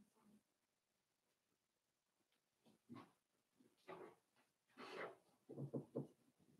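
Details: Four-week-old Cavalier King Charles Spaniel puppies from Daisy's litter in their indoor pen, giving soft snuffling grunts and squeaky noises that come in irregular bursts and grow busier toward the end, with rustling between them.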